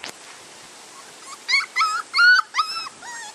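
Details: Six-week-old Labrador Retriever puppies, vaccinated that day, whimpering: silence for over a second, then four or five tonal whines, some rising and falling, some flat, each about a third of a second long, with short gaps between.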